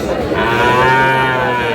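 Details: Dairy cow or calf at Aftabganj cattle market in Dinajpur, Bangladesh, 1 August 2026, giving a loud, sustained, steady moo under two seconds long, rich in harmonics, with market noise behind.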